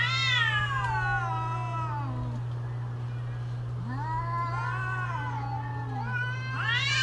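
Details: Mating-season cats exchanging creepy drawn-out howls: a high descending wail, a lower growling moan answering, then a fresh rising cry at the end, all above a steady background hum.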